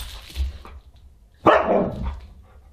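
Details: Husky at a dinner party on December 27, 2022, giving one sharp, loud bark partway through, preceded by low indoor rumbling and muffled background sounds.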